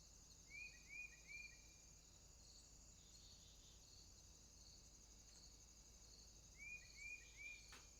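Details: Night swamp crickets keep up a continuous high-pitched trilling drone, while short groups of three rising whistled chirps from another animal sound near the start and again near the end, followed by a faint click.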